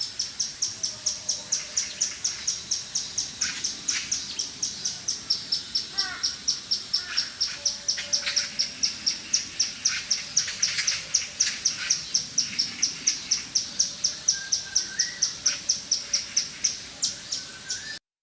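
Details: Squirrel repeating rapid, thin, high chips at three to four per second for the whole stretch, slightly softer and more hurried, with faint chirps from other callers in the background.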